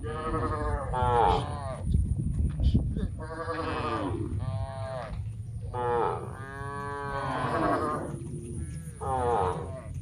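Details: Large herd of tame cows heading to a green grass field to feed, several animals mooing in overlapping nasal calls roughly every two seconds, with steady low rumble and a faint high electrical whine.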